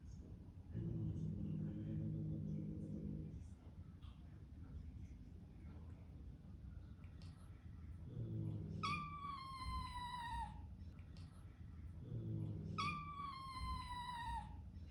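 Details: A newly arrived pet kitten meows with all its strength while facing a huge resident cat that hisses at it, in a household of Bengal and Sphynx cats. Low rumbling sounds first, then two long, high, clear meows that slide downward.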